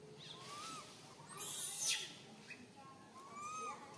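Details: Lone baby monkey stranded high up a tree calls its mother in fear, giving soft rising-falling whistled cries at the start and end, interrupted by a sharp rustling crash midway.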